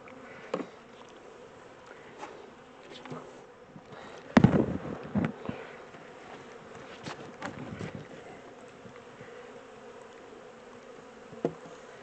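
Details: Honey bee swarm, the second one caught, being moved from a small temporary box into a larger hive: a steady low droning hum with sharp knocks and bumps from handling, loudest around the middle.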